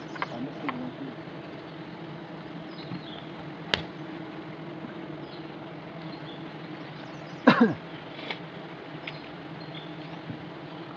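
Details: Honey bees at a hive being harvested by traditional methods in Nagaland: a steady low droning hum runs throughout, broken by a few sharp clicks and a brief louder knock near the middle.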